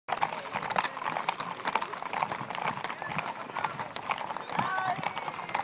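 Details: Hooves of a large gathering of more than 80 horses with their riders at the Ermita de la Aurora, Villanueva de la Serena, Spain: dense, overlapping clip-clop on hard ground mixed with steady crowd chatter.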